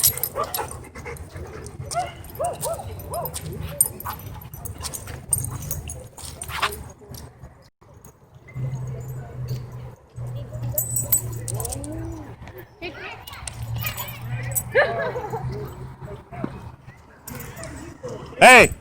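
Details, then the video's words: Dog at a dog park, described as threatening to attack. Its short, high whining and yipping calls come in scattered bursts, with a person speaking and a loud knock near the end. "Dog Threatens To Attack Me For Filming At Dog Park"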